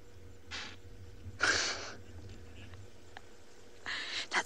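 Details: Impala on an afternoon safari in a South African game reserve, 4 July 2020, give a frequent, intense alarm snort, short explosive breathy bursts, alarm-calling at a hyena.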